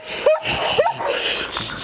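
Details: Samoyed puppies at play at a breeder's kennel, where the mother Riina raised her three pups; two short, sharp rising yips about half a second apart over background noise.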